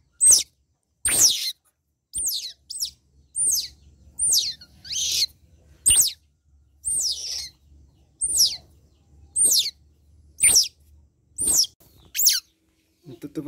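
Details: Young otter, about one month old, being bathed: a series of sharp, high squeaky chirps, each hooked and falling, repeated roughly every second, about a dozen in all, with faint low rumbling beneath.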